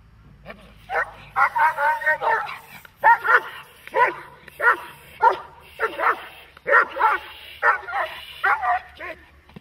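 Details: Protection-training dog barking hard and repeatedly, about a dozen rough, forceful barks in uneven pairs and runs filling nearly the whole stretch, with faint background noise.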